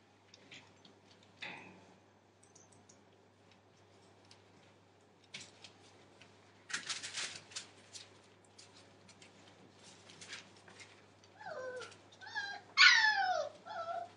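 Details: Entlebucher Mountain Dog puppies, 37 days old, from a litter born 28 December 2014; after scattered clicks and rustling, high squeaky whines and yelps rise and fall near the end, the loudest a sharp rising squeal.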